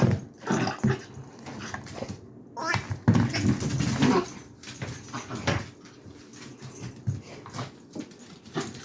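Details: Dachshund frustrated while trying to get the squeaker out of a toy indoors; short low whimpers and grumbling noises in bursts, with rustling and handling sounds in a small room.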